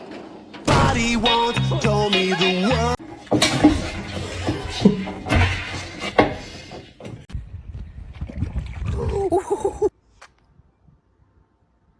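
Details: Upbeat music mixed with talking and splashing water fills most of the stretch, then cuts off to near silence.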